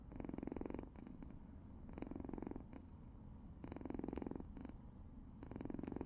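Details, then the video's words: Purring from young pet cats, filmed in June: a steady, rapid, low pulsing rumble in long bursts, with brief pauses for breath. "골골송? 코골이?"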